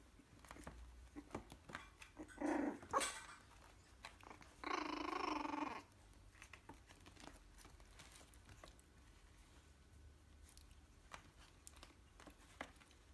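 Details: Three-week-old Yorkshire terrier puppy indoors giving two short rough, breathy growling bursts, the second longer and steadier, lasting about a second, with quiet shuffling noises between.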